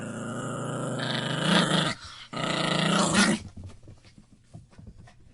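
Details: A puppy growls in two long, harsh, throaty bursts with a brief gap between, then goes quiet apart from faint shuffling noises at the end.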